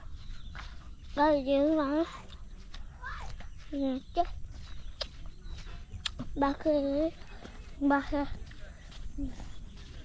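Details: Billy goat (boka) giving quavering, wavering bleats, one long trembling bleat followed by shorter ones spaced a few seconds apart, with footsteps and rustling outdoors in between.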